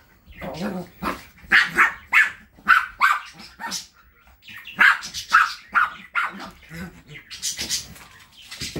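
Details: Shrill, repeated yapping from London, a Saratov family's Chihuahua bred at the Kastropulo Crimea kennel: steady bursts of short high barks, roughly two per second, fading into softer yips toward the end.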